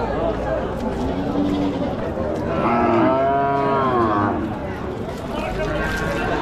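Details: At a busy village cattle market, a cow gives a long, drawn-out moo that swells and falls over a background murmur.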